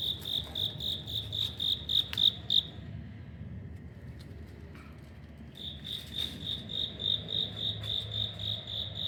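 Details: Corridor-dwelling cricket at an apartment in Wada 1-chome, Suginami, Tokyo, October 2025: bright pulsed chirps, then about three seconds of near silence with faint clicks, then the high chirping resumes at the same steady pace.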